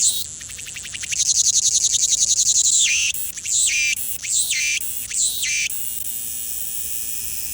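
A cicada gives a high, harsh buzz of rapid pulses, then several shorter rasping bursts.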